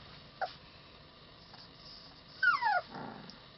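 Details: Three-week-old puppies from litter H: a brief high squeak, then a pair of thin whistled whimpers sliding downward in pitch, followed by a soft low grunt against a quiet background hiss.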